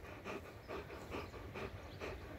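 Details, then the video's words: German Shepherd playing with a ring, panting in quick, evenly spaced breathy bursts, about two per second, soft and low in level. "German Shepherd-play with ring"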